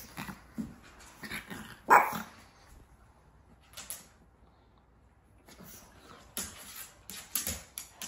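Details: Four-month-old pug puppy giving one short, sharp bark about two seconds in, among scratching and tapping noises and a few quieter scuffles near the end.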